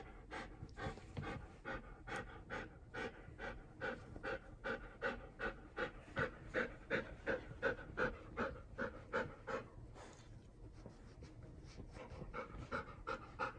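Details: Hatch, a seven-year-old female Golden Retriever, during a shampoo with dog soap indoors; steady, rapid panting of breathy huffs, nearly three a second, fading briefly near the end in a quiet small room.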